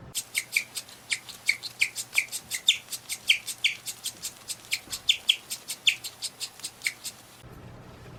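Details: A guinea pig chirps, a sound described as extremely rare, in a fast, steady string of high, bird-like peeps, several each second.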